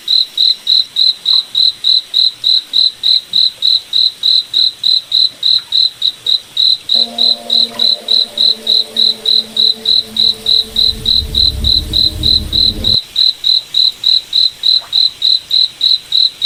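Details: Cricket at night in a moonlit forest, chirping in a rapid, very regular series of shrill pulses, roughly three and a half each second, while a faint droning tone and a soft low rumble pass in the middle.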